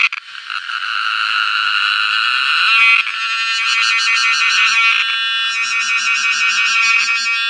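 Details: Close cicada giving a continuous, loud, metallic buzz that breaks after about three seconds into a rapidly pulsed, throbbing rattle, then settles back toward a steady drone.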